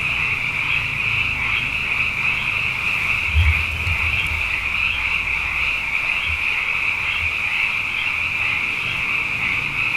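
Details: Abundant frogs singing night after night after two wet years form a constant high trilling chorus throughout, with a few brief low thumps near the middle and a faint low background rumble.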